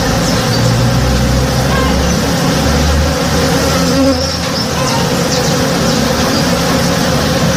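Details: Honey bees busy in a blooming tree behind a house at morning, their many wings merging into a steady, low, humming drone with small shifts in tone and only faint bird calls above.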